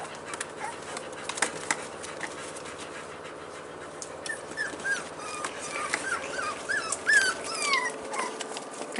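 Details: Staffordshire Bull Terrier puppies, just four weeks old, recorded 19 March 2020 indoors; short high-pitched squeaks and whines come in irregular bursts, growing busier toward the second half amid soft rustling.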